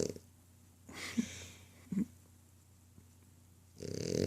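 A French Bulldog snores with two rough, rattling breaths about a second apart.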